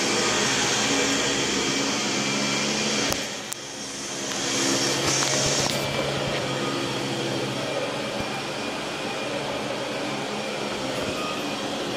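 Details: A vacuum cleaner runs with a steady roaring whine, briefly dipping in pitch before resuming, with no animal sounds.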